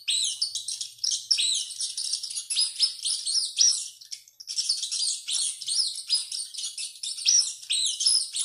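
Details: Rat racing about and shrieking: high, harsh squeals in rapid succession, a near-constant chatter broken by one short silence just past four seconds.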